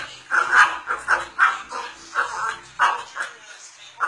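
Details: Pet cocker spaniel barking because it wants a Yakult bottle: short, sharp, yappy barks in quick irregular bursts, about nine in four seconds, with faint household background.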